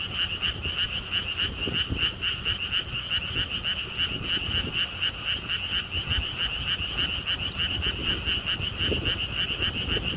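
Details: Steady pulsed croaking of many frogs at a lotus theme park in Siheung, South Korea, a rapid rattling buzz repeated several times a second, with soft low rumbling beneath.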